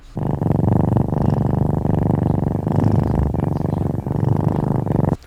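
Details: Cat. A domestic cat purrs in a low, throbbing rumble that swells and dips with each breath. Purring is a kitten's first way of telling its mother it is well or needs to nurse.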